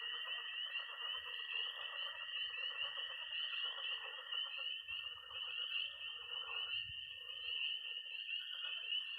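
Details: Missouri night in early spring, with tree frogs peeping, toads trilling high and frogs croaking in a pond; a dense, unbroken wall of shrill calls over a steady trill, with patches of low rumble near the middle.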